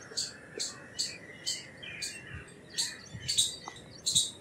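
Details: Slower bout of harsh, high chips from an Indian palm squirrel, about nine in four seconds, a few coming in quick pairs, with soft low thumps and faint squeaks in the background.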